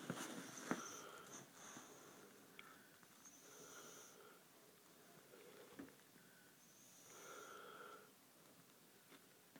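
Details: Tango, a pet Bull Mastiff, recorded indoors on December 6th, 2009, breathing noisily in sleep: soft wheezy snores swell and fade every few seconds, with a faint whistling hiss on some breaths in a quiet small room.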